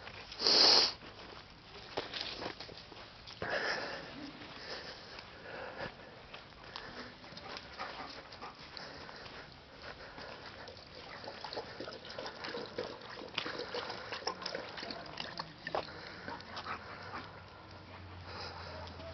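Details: German Shepherd named Mpampinos searching for kittens that fled across once they saw him; a sharp loud sniff burst at the start, then a long stretch of soft, scattered snuffling and rustling noises.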